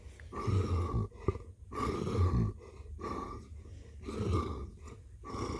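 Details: Deep, steady rumble from Blue the cat purring, rising and falling in long waves about every second and a half as the cat breathes in and out; indoors, no other sounds.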